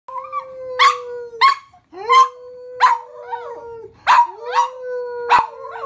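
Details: Pet dog singing along with its owner: a long, steady, level tone held under sharp, noisy bark-like bursts that come about every half second to second, with brief wavering slides between them.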